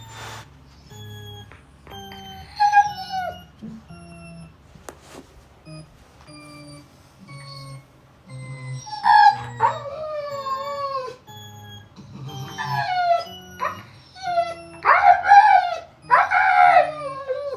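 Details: Siberian Husky howling in reaction to a sound: wavering, drawn-out howls and whimpering yips that grow more frequent toward the end, over steady background music and a person asking what it is.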